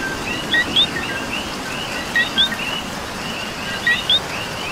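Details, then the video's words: Coquis calling during rain in Puerto Rico: a close frog gives clear paired notes, the second whistled and rising, about every second and a half, while a packed chorus of fainter chirps fills the background. "Coqui and Rain"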